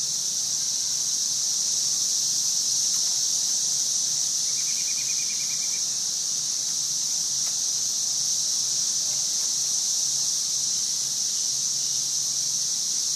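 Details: Cicadas recorded in 2011: a dense, unbroken, high-pitched hissing drone that holds steady throughout, with a brief faint chirping trill in the middle.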